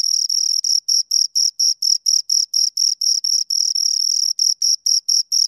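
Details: Two crickets produce rapid high chirps, some running together into longer buzzy stretches before settling back into quick, evenly spaced pulses; background otherwise silent.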